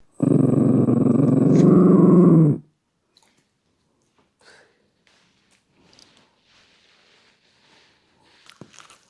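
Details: Shiba Inu puppy growling while eating its food indoors in a small room: one low, rough, steady growl lasting about two and a half seconds, then near silence with a few faint clicks and rustles.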